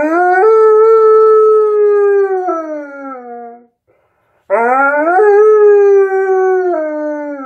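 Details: Tonka, an Alaskan Malamute, howls two long notes while singing along to Jingle Bells. Each swoops upward, holds level, then droops lower, with a short silent pause between them.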